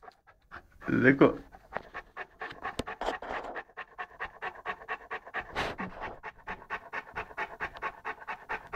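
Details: Eleven-month-old Saint Bernard Lara pants while playing with a pygmy rabbit; a loud voice or noise burst near the start, then steady fast panting about three breaths per second.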